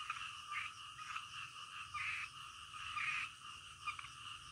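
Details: Frogs calling in the middle of the night, a calm nighttime scene; raspy croaks pulse in short bursts roughly every half second over a steady high hiss of background night noise.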